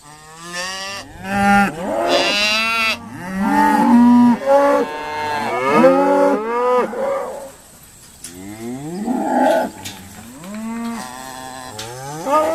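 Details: Irish Dexter cows at Stone Meadow Farm on a noisy sorting day, several animals mooing in overlapping bursts, deep harmonic bellows with rising and falling pitch, one after another with brief pauses between.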